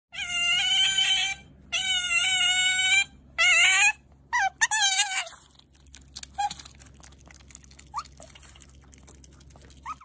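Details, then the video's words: Pet otter screaming for its dinner indoors: long, piercing, shrill harmonic screams repeated four times in the first four seconds, then short squeaks and faint chirps as the calling tapers off. "pet otter screaming for dinner"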